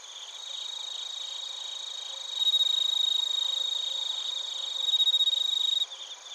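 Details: A cricket close to the recorder in Narita, Chiba, Japan, delivers a loud, rapidly pulsed, ringing trill in two strong bursts, then stops suddenly. A quieter high insect chorus continues throughout.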